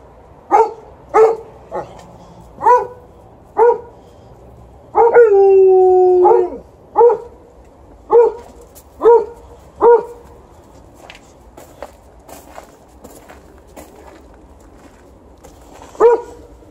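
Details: Alaskan Malamute together with a Golden Retriever, barking and howling because they want to go for a walk; short sharp barks repeat about once a second, broken by a single drawn-out wavering howl, then more spaced barks.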